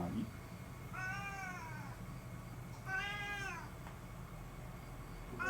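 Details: Domestic cat appealing for something, two drawn-out meows about two seconds apart, each rising then falling in a smooth arch, with a steady low hum underneath.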